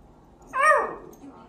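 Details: Dachshund puppy, a sausage dog kept as a pet indoors, giving a single short whine that rises and falls in pitch, about a third of a second long, against a quiet room.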